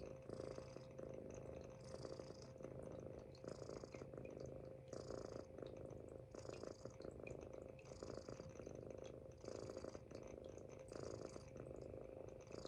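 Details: Sleeping Munchkin kitten lying on its owner's stomach gives a steady, low, purring-like snore in rhythmic pulses every second or so, each breath swelling then easing, in a quiet room.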